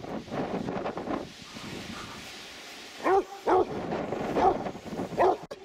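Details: Dog on the sand at Three Cliffs Bay in Wales gives four quick barks in the second half, preceded by a murmur of background noise and rushing wind from the seaside.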